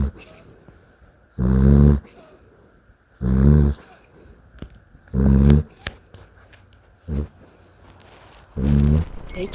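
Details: Dachshund asleep and snoring steadily: five deep, rattling snores, each roughly half a second to a second long, coming every one and a half to two seconds, with a quiet background hum between breaths.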